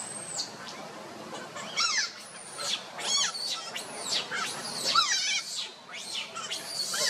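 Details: Baby monkey Luno calling to his father Tum to pick him up: shrill, high squeals and rising-falling whistled cries, several overlapping in quick succession, with rustling in the background.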